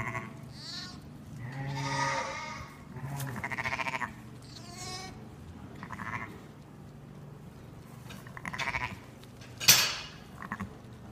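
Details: Sheep with a newborn lamb, born only minutes earlier, struggling to stand and reach its mother's udder; a series of wavering, harmonic bleats, some long and some short, about six across the stretch, a sharp click near the end, steady low hum beneath.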